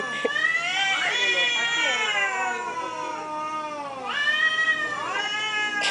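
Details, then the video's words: Cats in Thailand talking to one another: a continuous stream of wavering, drawn-out meows, one long descending wail followed by a rising, bent call near the end. "talking Cats in Thailand"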